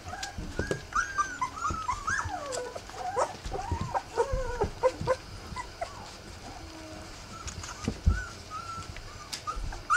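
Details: Three-week-old Rough Collie puppies whimper and whine, a run of wavering, rising and falling squeals in the first five seconds, then quieter short whines with scattered knocks and rustling.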